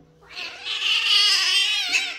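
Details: Kitten giving one long, high, strained meow that swells and wavers for nearly two seconds, shrill and insistent, while a person calls it to come and says it is very scared.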